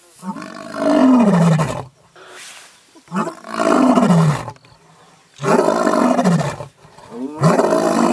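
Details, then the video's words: Mapogo lions roaring in the bushveld, loud enough to carry about 8 kilometres: four deep, moaning roars, each falling slightly in pitch over about a second and a half, separated by short quiet gaps. "Mapogo roars the entire bush-veld shivers with fear"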